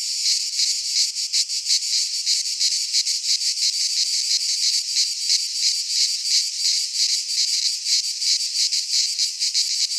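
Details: Cicadas singing in midsummer in a pine forest in Greece: a dense, continuous high-pitched buzzing pulsed into rapid rhythmic throbs, steady and unbroken throughout, with no other clear sounds.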